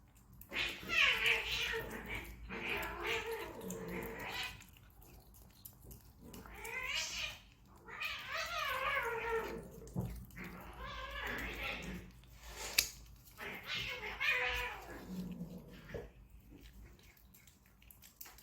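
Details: Stray desert cat in Abu Dhabi during a treat party, calling with long, wavering, insistent meows, about five drawn-out cries with falling tails, separated by short pauses and soft background noise.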